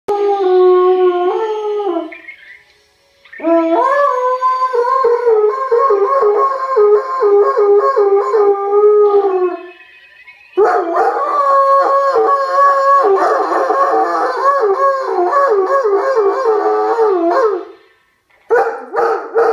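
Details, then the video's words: Irish Wolfhound howling in reply to a playback of its own recorded howl: long, wavering, tonal howls with rich harmonics, a brief pause near three seconds, then denser, layered howling through the second half. "Irish wolfhound howling"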